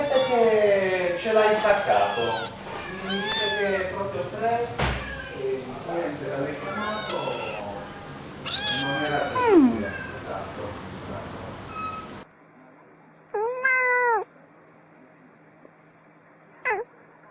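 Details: A cat voices a long run of overlapping, sliding meows and wails with strongly bending pitch, dense and insistent, then after a pause a single clear, short meow and a brief squeak.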